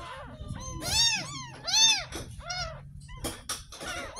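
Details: A ten-day-old kitten that was found in a drain cries sharply while being washed for the first time. Two loud, drawn-out mews are followed by shorter, quicker squeaks over faint background noise.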